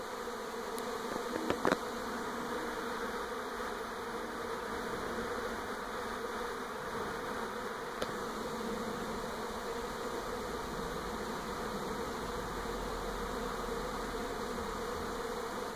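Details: Swarm of honey bees moving from an old hive to a new one around a home in NE Portland, 2018: a dense, steady droning hum filling the whole recording, with a few brief clicks near the start and around eight seconds.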